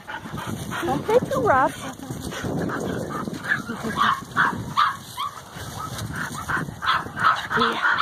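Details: Standard Poodle puppies at play in the leaves: a quick run of high wavering yips and whines early on, then scattered short squeaks amid leaf rustling, while a woman talks to them.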